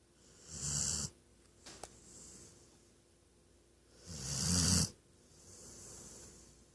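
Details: Female Weimaraner snoring loudly while napping beside her owner, two long rasping breaths about three seconds apart, each a broad hissy rush over a low rumble, with quiet room between.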